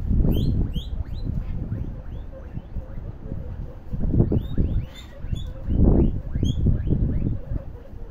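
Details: Several popcorning guinea pigs give quick rising chirp-like squeaks, often in clusters, while heavy low thuds and scuffling swell and fade in waves from their jumping and running.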